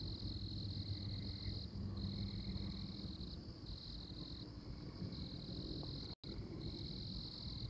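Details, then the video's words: Tree frog in Oklahoma, calling in long, steady, high buzzy trills about one and a half seconds each, separated by brief pauses, with fainter lower trills and a constant low rumble underneath. "Tree Frog"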